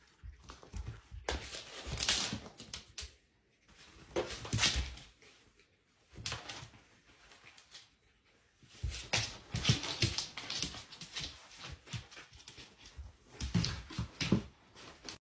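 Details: A tame domestic red fox, a female, gives harsh, breathy bursts of chattering noise indoors.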